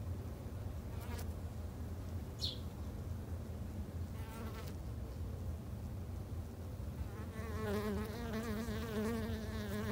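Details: Garden-kept Japanese honey bees tended by a novice beekeeper: a soft low hum with scattered clicks, swelling after about seven seconds into a louder, tonal buzz with clear layered pitches, as if bees fly close.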